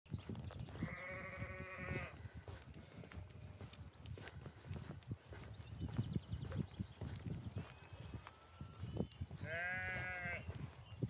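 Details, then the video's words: Lambs in spring on a farm: two drawn-out, wavering bleats, each about a second long, one near the start and one near the end, with a steady low rumble and soft rustling between them. "Lambs Making A Noise!!"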